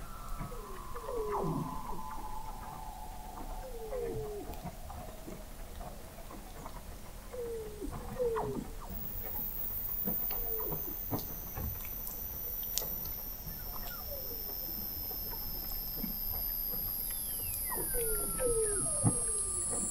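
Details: Under the frozen sea ice of McMurdo Sound, Antarctica, November 2017, Weddell seals produce short downward chirps repeated roughly every second or two, while long high whistles slide slowly downward above them; recorded 21 m beneath the ice.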